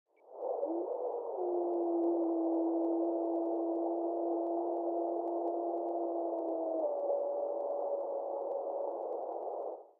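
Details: Wolf howl recorded on July 20th 2024 at 2pm: two long, steady, overlapping tones, a lower one held about six seconds and a higher one that dips slightly and carries on to the end, over a soft hiss.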